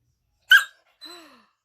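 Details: Angry five-month-old female Rottweiler puppy in a tantrum over her owner painting a puppy statue: a single sharp, explosive bark-like yap, then after a short pause a low, drawn-out whine sliding gradually downward.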